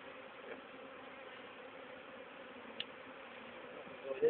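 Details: Honey bee swarm, issued from an old queen's hive and caught for re-hiving into a poly nuc with a small entrance, 29–30 April 2011; a dense, steady, low droning hum holds evenly throughout, with one faint brief tick and a slight rise at the end.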